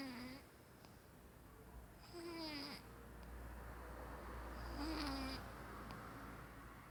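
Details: Pet Maine Coon cat caught snoring in its sleep: three whistled, nasal snore tones, each bending up or down and fading, spaced about two and a half seconds apart over a steady low hiss.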